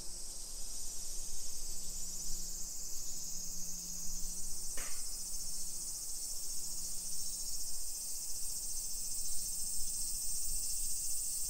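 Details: Shrill, steady cicada buzzing fills a summer afternoon walk through Nisshin, suburban Nagoya, Japan, 1 PM on 28 July 2021; low intermittent humming, walking rumble and a single sharp click near the middle.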